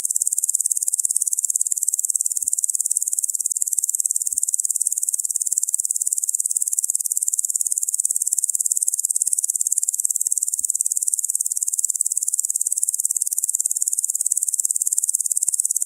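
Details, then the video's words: A locust calls with a continuous hissing, high chirring made of fast regular pulses that barely change in loudness, broken only by three soft low taps. "Locust Sound Effect"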